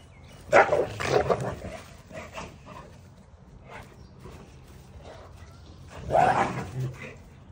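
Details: Cane Corso puppy gives two separate gruff barks several seconds apart, each a brief cluster of rough yaps, with faint background hum between them.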